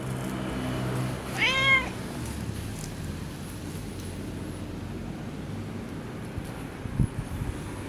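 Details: Fluffy long-haired tabby from a park-dwelling tabby family gives one clear, bending meow as it is stroked outdoors, followed by quieter rustling and a constant low hum of distant traffic.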